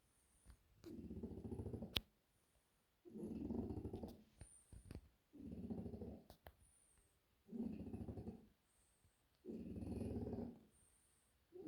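A French Bulldog snores loudly in rough, rumbling bursts about every two seconds.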